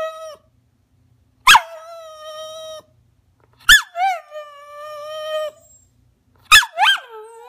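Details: Maggie the rat terrier pleads to get up on the couch, three abrupt yelps each stretching into a long, nasal, even-pitched whine lasting one to two seconds.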